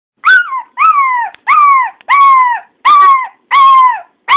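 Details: Pet dog howling because he misses a family member he cannot see; a run of seven drawn-out, wavering yelping howls about half a second each, arching then falling in pitch, repeated roughly every 0.6 seconds, no other sounds.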